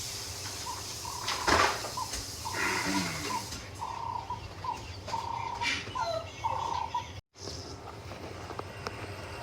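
Black wildebeest giving a run of short, nasal, metallic calls, several voices overlapping.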